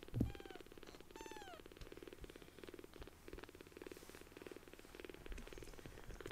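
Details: Tiny newly rescued kittens, affectionate and purring: a thump and two high, curving mews open the recording, then rhythmic purr bursts repeat about twice per second.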